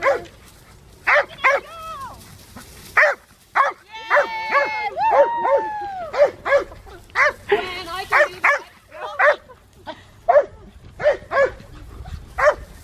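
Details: Old English Sheepdog herding sheep; short sharp barks come roughly once a second in an uneven series, with longer wavering voiced sounds and people talking between them.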